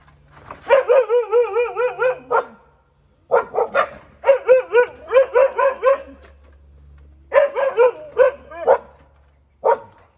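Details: Siberian Huskies on a back deck meeting a stray cat up close for the first time: runs of wavering, yodel-like barks in three bursts, each of several quick notes, with short pauses between and a final lone bark.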